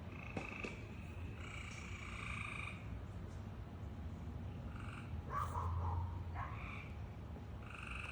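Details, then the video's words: Weird noises from a frog: several drawn-out buzzy croaks with stacked tones, plus brief high chirps and a louder rough burst near the end, all over a steady low hum. "Frog is making all these weird noises"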